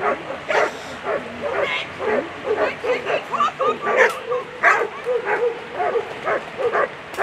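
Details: German Shepherd Zeh Amica der dunkle Schatten at a World Championship agility event, giving rapid repeated barks, roughly two or three each second, sharp and mid-pitched, with a noisy hall background and voices underneath.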